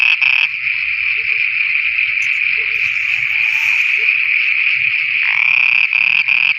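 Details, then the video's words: Frogs singing at night in Pakistan hold a continuous, buzzy, droning trill for most of the stretch, with brief breaks into separate pulsed croaks near the start and end. "Frogs singing at night"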